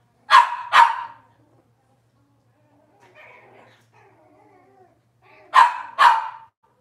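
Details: Barking from a litter of Cavalier King Charles Spaniel puppies, Robin's pups, kitchen camera feed: a quick pair of barks, a quiet stretch of faint whines, then another rapid double bark.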